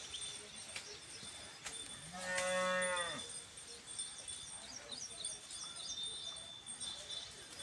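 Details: Khillar cattle on Maharashtra farmland being ploughed for sugarcane: one harmonic moo lasting about a second, level then dropping, with a steady high tone and faint chirping behind.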